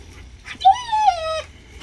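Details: Playful German Shepherd puppy lets out one drawn-out, slightly falling whine of about three quarters of a second, rich in overtones, followed by the start of a brief yelp.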